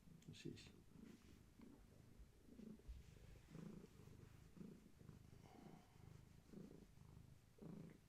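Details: Gaia, a pregnant long-haired tabby cat carrying many kittens, purrs indoors while being held steady. The purr is a low, steady rumble that swells with each breath, about once a second, with a faint click near the start.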